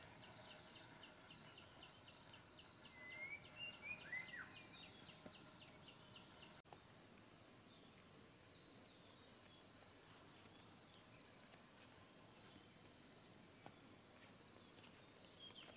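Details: Desert cicadas at a camping shelter site give a continuous high, hissing whine. Brief curling bird whistles rise over it in the first seconds, then the insect hum carries on alone with faint clicks.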